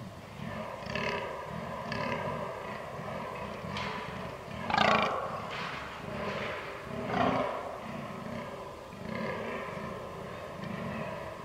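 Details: A fallow deer buck in the rut on 22 October 2022 groans with deep, belching grunts at a steady pace.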